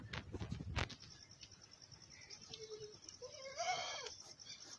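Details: Goat, a mother feeding milk to her large male kid on a farm: a brief low bleat, then a louder, trembling, harmonic bleat near the end, after a burst of handling noise and a man's voice.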